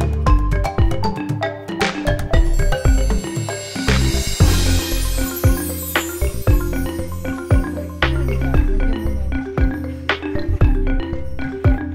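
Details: Loud bright mallet-percussion music with marimba and glockenspiel tones over a bass line fills the recording, and no animal sound is heard.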